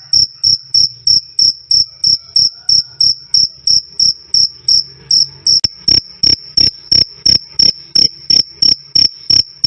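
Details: Loud, clear cricket chirping, "krik krik", used as a training recording for songbirds: sharp high pulses repeated about three times a second in steady rhythm, with a faint continuous high tone between them.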